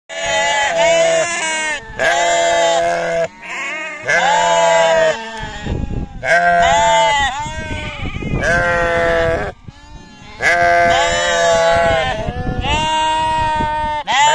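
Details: Sheep and lambs on a farm bleating in a long series of loud, wavering calls about two seconds each, separated by short pauses, with rich harmonic tone and some overlapping voices.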